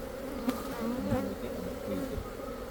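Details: Khmer honey bees buzzing in a thick continuous low drone, with short pitch-wavering whines from individual bees passing close and a couple of sharp knocks.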